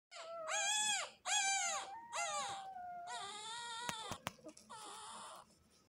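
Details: Three-day-old Doberman and German Shepherd mix puppy whimpering: high, arched squeals rising and falling, three in quick succession, then a longer wavering whine and a final short cry, with faint clicks between.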